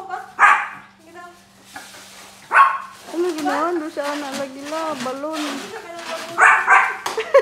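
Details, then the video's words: Shih Tzu puppies playing with balloons indoors; sharp, short yipping barks burst out at the start, again near two and a half seconds and twice toward the end, with a person talking through the middle stretch. "My Shih Tzu Puppies Playing with Balloons"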